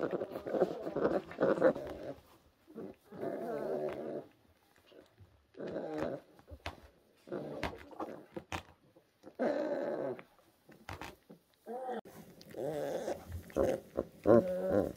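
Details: Rescued orphan brown bear cubs, new-born and fragile, at a rescue centre in 2023: repeated bursts of throaty, moaning growls lasting one to two seconds, broken by short pauses and a few sharp clicks.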